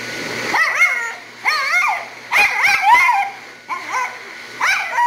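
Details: Havanese bitch being dried at a grooming shop, protesting the dryer: short, bending, yelping howls in four or five quick bursts, each curving up and down in pitch, with the dryer's steady whir behind.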